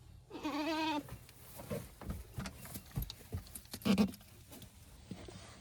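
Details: A mini goat on a small handmade farm, recorded on 25 August, gives one wavering, tremulous bleat lasting under a second near the start. Scattered knocks, rustling and shuffling noises follow.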